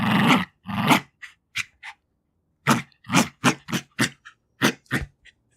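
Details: Two-year-old Jack Russell Terrier female growling while fighting for her toys. Two long rasping growls open, then short snorting breaths and a run of brief, choppy growl bursts with licking and sniffing sounds.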